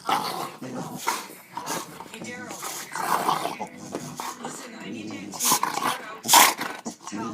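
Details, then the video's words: Excited pet dog, a male, showing off on camera with a long string of grumbling growls and whiny, yodel-like moans that vary in pitch. Sharp bursts near the end, and a person talks to it throughout. "Funny dogs making noise like crazy"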